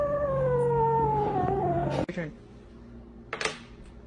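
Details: Domestic cats, shown in a funny compilation, produce a long, slowly falling wail lasting about two seconds. It is followed by a sharp click, a quieter stretch and a couple of brief noisy bursts.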